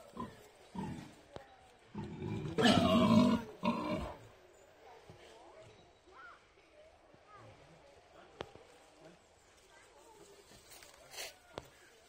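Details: Wild boars with piglets give a short burst of harsh, rasping grunts and squeals, then things go quiet.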